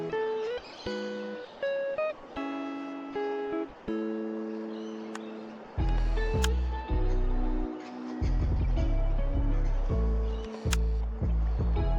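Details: Plucked guitar music with steady strummed bass notes, and no animal sounds.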